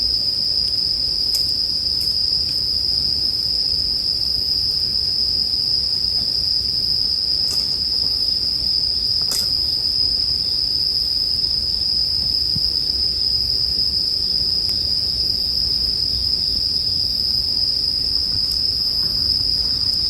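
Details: A bell cricket's high, metallic ringing fills the whole stretch without a gap, set against a gently crackling campfire meant as sleep music. A handful of sharp pops stand out from the steady low hiss.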